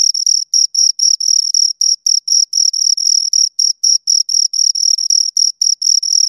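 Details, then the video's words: Pair of crickets giving continuous high chirps, each a short shrill burst, around four bursts every second, evenly spaced over a silent background. "Two Crickets Chirp Sounds"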